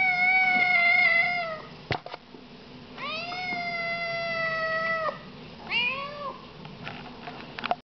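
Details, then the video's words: Loud, sweet meowing from little Siamese kittens: two long sustained high meows followed by a short rising chirp-like meow and faint scratching before silence. "Talking Siamese kittens"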